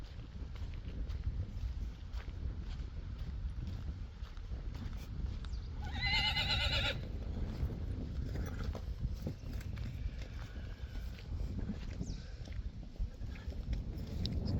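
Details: Friesian horse giving one short, high, wavering whinny about a second long, midway through, over steady low rumbling background noise with scattered hoof clops and knocks.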